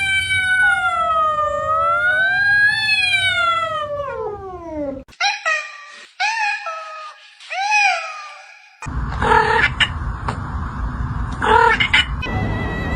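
A domestic cat gives a long, drawn-out meow, then several shorter, rising-and-falling mews.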